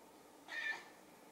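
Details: Sushi, a silver tabby house cat, gives a cute meow while looking into the camera as if talking; one short, rising-then-falling meow of about a third of a second, clear against a quiet indoor background.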